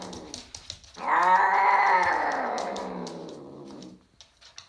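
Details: A Ragdoll cat during mating gives one long, drawn-out yowl that sags slightly in pitch before fading.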